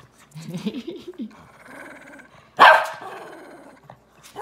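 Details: Shih Tzus ZaiZai and MoMo squabble over a toy: low rumbling growls in the first second, then a single sharp, loud bark burst near the middle, followed by quieter grumbling.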